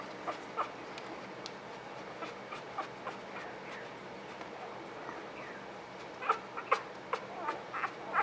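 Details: Newborn puppies in close-up, one known as Mr Red, make short high squeaks and thin whimpers. They come scattered at first, then cluster in quick bursts toward the end over a soft, steady background hiss.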